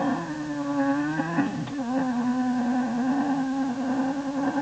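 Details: American black bear cub in a winter den in January 2012, content after being fussy: steady low droning hum with rich overtones, its pitch wavering slightly, running continuously like a little motor.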